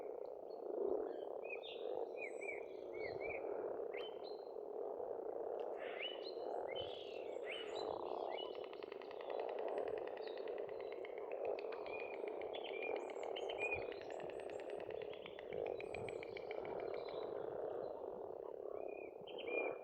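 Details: Many frogs croaking together in spring at an Estonian farm pond, an unbroken low rolling chorus under lively birdsong of repeated whistles, buzzy trills and chirps that grows busier midway.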